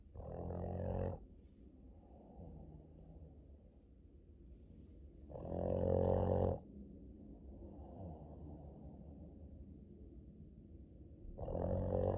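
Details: Boston Terrier, male, loudly snoring during his morning sleep: three rasping, rumbling snore bursts about every five seconds, each lasting around a second, with quiet breathing between them.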